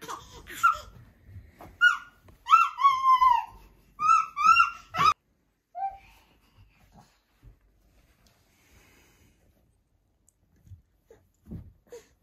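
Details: Siberian Forest kitten, a female named Selby, described as still scared: a quick run of short, arched, tonal mews, about seven in five seconds, then near silence with a few faint soft sounds.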